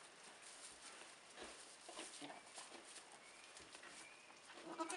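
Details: Soft, nasal bleats from Nigerian Dwarf goats, a doe and her triplet kids (two doelings, one buckling) only a few hours old, in 2015, rise briefly above a steady hiss of background noise.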